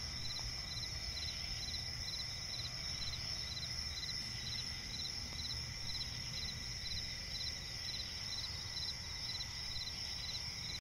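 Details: Night chorus of crickets in a forest swamp, short pulsed chirps repeating evenly about twice a second above an unbroken shrill high drone, low ambient rumble throughout, no other clear animals.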